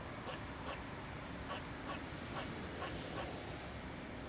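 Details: A squirrel on a chimney gives sharp, clicking chips in loose pairs, roughly every half second, over a low rumble.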